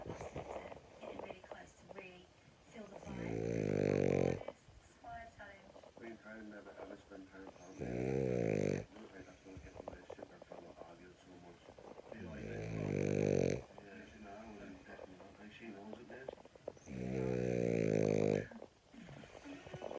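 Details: French Bulldog. A French Bulldog snores in a slow rhythm, each breath a loud, rasping, rattling snort lasting about a second. Quieter wheezy breathing fills the pauses between the snores.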